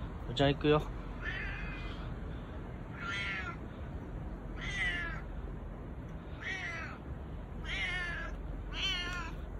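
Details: Bū-chan, the boss domestic cat, calls in a husky voice while cuddling up for affection without other cats present; a short sharp call opens, followed by six rough, wavering meows spaced roughly every one to two seconds over steady background hiss.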